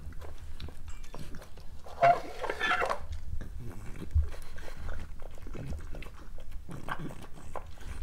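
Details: Breakfast time for a pregnant female French Bulldog: sparse, crisp crunching bites and lip smacks over a low hum, with a brief louder rustling burst around two seconds.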